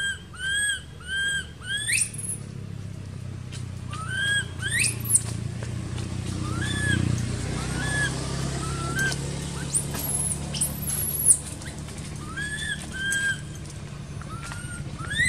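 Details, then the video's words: Crying baby monkey left uncared for by its mother in an archaeological park: bursts of high, arched wailing squeals, some with stacked overtones, repeated irregularly, with a low engine-like rumble and faint background noise. "Poor Baby Monkey Crying Without Caring From Her Nasty Mom Monkey"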